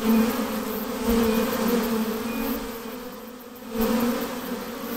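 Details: Continuous hum of a honey bee swarm during hiving, a steady low drone with a stacked overtone that fades briefly past the midpoint before surging back strongly.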